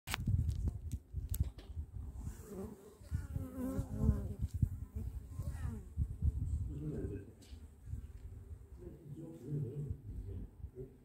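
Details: Bee buzzing in a low, steady drone with faint harmonic bands rising and falling midway, plus scattered clicks and rustling throughout.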